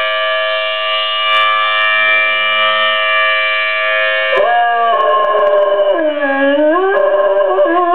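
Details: A Weimaraner howls along with the monthly first-Wednesday siren, its voice rising and dipping in long wavering notes over the steady wail.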